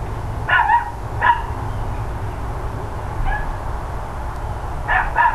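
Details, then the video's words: Neighbours' dogs barking loudly, recorded on 13 October 2012 between 9:57 and 10:05 AM: a few sharp, short barks in irregular bursts, some doubled, spaced across the clip over a steady low rumble of background noise. "Barking Dogs Loud Neighbors"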